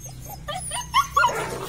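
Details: Weaned litter of red-and-black Belgian Malinois puppies, three pups present: a few short, high, wavering whimpers and a thin rising yelp, with steady low background hum.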